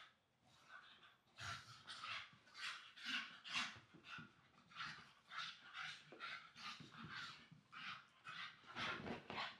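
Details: Young English Staffy siblings playing and wrestling on a new blanket at home; rough growling and snorting bursts repeat about twice a second, fairly steady, with panting and rustling.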